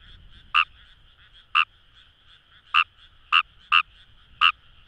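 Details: Fejervarya kawamurai calling in rice paddies along the Kamo River, Itoshima, Fukuoka, Japan: short sharp croaks with bright harmonic bands, six notes spaced irregularly about a second apart over a soft chorus of distant frogs.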